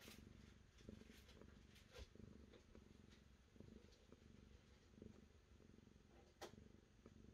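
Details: Close, low, pulsing purr from a cat, rhythmic rumbling waves rising and falling without a break, with occasional soft clicks and a brief sharp rustle near the end.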